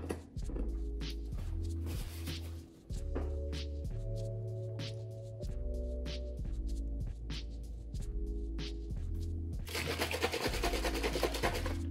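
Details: A steady music track with a repeating bass line fills the room, joined by soft thunks and a burst of hissy noise near the end, with no animal call.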